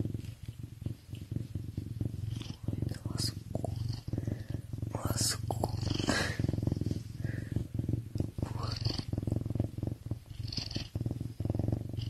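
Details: Captive serval purring while feeling good: a steady, low rumbling purr runs throughout, overlaid by scattered clicks, rustles and faint human voices.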